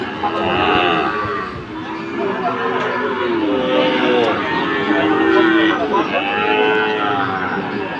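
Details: Friesian and Sahiwal bull calves at Ambari cattle market, Dinajpur, Bangladesh, on 27 September 2024, mooing in drawn-out bellows with wavering pitch, several overlapping calls, amid market crowd chatter and background music.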